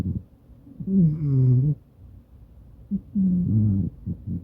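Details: Maine Coon cat snoring while asleep beside its owner, recorded on a smartphone: loud, low, rough snores with a tonal groaning quality, two long breaths about two seconds apart followed by short catches.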